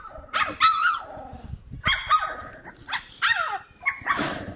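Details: Cane Corso puppies playing, giving short high yips in separate bursts of two or three, each sharp and slightly falling, with brief quiet gaps between the bursts.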